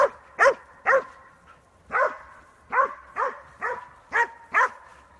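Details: A Catahoula leopard dog training in a fenced woods area at Elmira bays at hogs with loud, harmonic barks repeated about twice a second.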